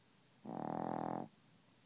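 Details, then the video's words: Chihuahua fast asleep, snoring and not waking; a short vibrating snore under a second long, evenly pulsed and nasal-sounding, followed by silence. "Chihuahua Snoring"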